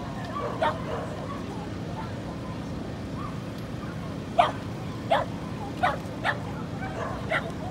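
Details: Female Corgi puppy in Inage, Chiba, recorded 23 February 2019, giving short sharp yips and barks scattered over several seconds against a steady low background hum.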